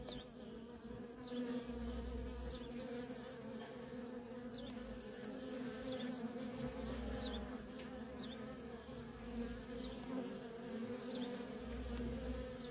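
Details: Constant humming drone from worker honey bees streaming in and out of a feral colony, even and unbroken throughout, with soft high chirps repeating roughly once a second above it.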